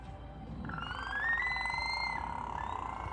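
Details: A killer whale (Orcinus orca) at SeaWorld, April 2016, gives a buzzy, pulsed call that slides upward, then holds a steady, harmonic tone; pulsed calls are communication, and each pod has its own dialect.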